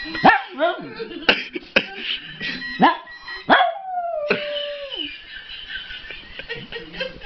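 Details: Dog reacting to a ringing phone gives sharp clipped barks and yelps, then one drawn-out howl sliding downward, followed by quieter busy sound with faint music.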